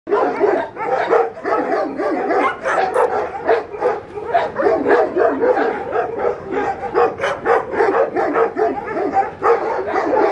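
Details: Puppies with Cereja, giving a dense run of high, short yips and barks, several overlapping and repeating nearly every half second for ten seconds without pause.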